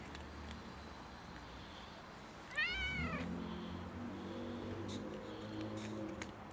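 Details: Cat struggling outside in freezing winter cold, seeking warmth rather than food: a single clear meow near the middle, arched in pitch with rich harmonics, followed by low rumbling background noise.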